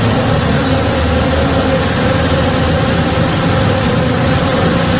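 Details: Honey bees working in the morning in a flowering backyard tree: a steady, dense, low droning hum that carries on without a break, with faint higher whines passing over it.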